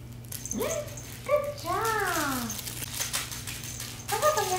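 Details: Shih Tzu puppy, 12 weeks old, in its first week at home, gives high whimpering whines that slide up and down in pitch, several in a row, while a person's voice is heard nearby indoors.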